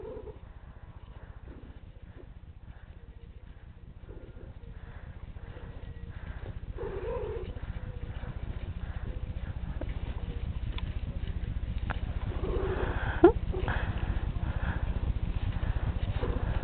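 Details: Princess, a pet female cat described as hyper, purrs in a steady, low, rapid rumble throughout, rising slightly in loudness toward the end, while a person talks softly nearby.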